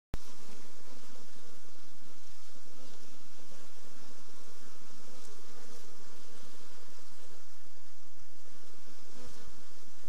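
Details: Honey bees sick with black bee disease, also called chronic paralysis, make a steady, dense hum that runs unbroken for ten seconds under a broad hiss.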